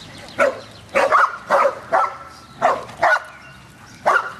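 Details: Dog at a dog park gives a run of sharp barks, about one every half second, in short bursts with pauses.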